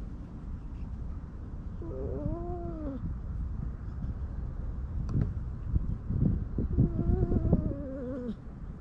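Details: Stray cats gathered under an outdoor bench being petted, GoPro recording: two bent, rising-then-falling meows separated by several seconds of low rumble and a few soft taps.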